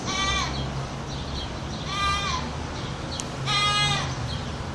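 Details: Goat giving three loud, harsh, human-like yells spaced over a few seconds, each held briefly and then dropping in pitch, over a steady low hum.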